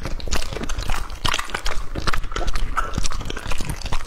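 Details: Lucky, a two-and-a-half-year-old male English Labrador Retriever, eats raw meat in a close-miked feeding session. Dense irregular crunching and wet chewing, with clicks about two per second and a low thumping undertone.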